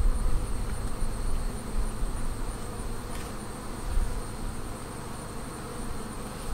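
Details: Honey bees humming around a Flow Hive during its first honey extraction cycle, frames drained one at a time without stressing the bees; a dense, steady low drone with faint clicks, under a constant thin high whine.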